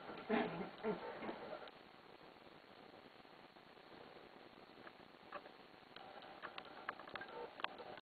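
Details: A Schipperke puppy having a frantic random activity period on a comforter lets out a quick burst of high, excited yelps and squeaky growls.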